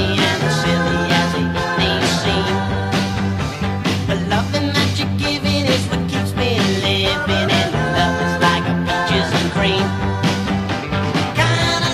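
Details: Loud rock music with singing, driving drums and electric guitars fills the whole stretch, and no animal sound stands out.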